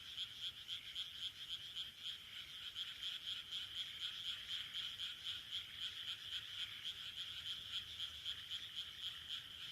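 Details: Chorus of frogs in rice paddies of Taihaku Ward, Sendai, Japan, recorded late June 2023; many overlapping rapid croaks pulse steadily about four times a second with no other clear sounds.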